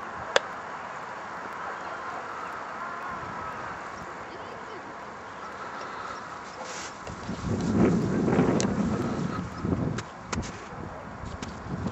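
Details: Outdoor wind rumble with a faint voice, swelling into a louder gusty roar around the middle, with a few sharp knocks near the end.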